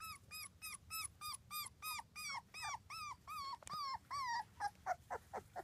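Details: Two-week-old British Labrador Retriever puppies, litter of six born June 24th, 2015: a rapid, steady series of arched, nasal whines about four per second, each rising then dropping, fading into weaker squeaks at the end.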